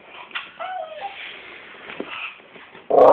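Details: A one-year-old male Staffordshire Bull Terrier, in what the owner calls growling, gives thin, wavering whines, then a sudden loud yip.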